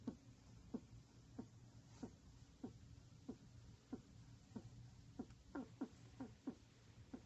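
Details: Pet rat curled in a ball, snoring loudly indoors: short soft snorting pulses repeat steadily, roughly every two-thirds of a second, over a faint low room hum.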